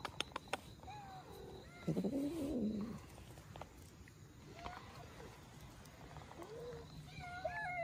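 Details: Russian Blue mother cat and kittens, abandoned and found as strays, during their rescue; scattered short mews, a brief harsh burst in the middle, and thin high kitten-like cries near the end, over background rustle.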